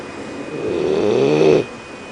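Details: A single snore from a sleeping 12-week-old Leonberger puppy named Phineas, tired from a morning at the park. The rasping snore builds in loudness for about a second, then cuts off into quiet.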